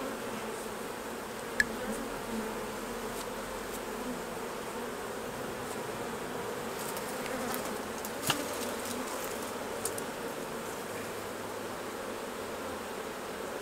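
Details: Honey bees swarm around hives as honey is removed for the jar; an unbroken low buzzing fills the whole stretch, broken by a few brief knocks or clicks near the start and middle.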